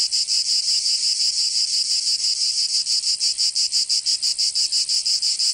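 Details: Provençal cicadas in summer, southern France: an intense metallic whirring that swells and dips in rapid rhythmic beats, about three per second, unbroken throughout.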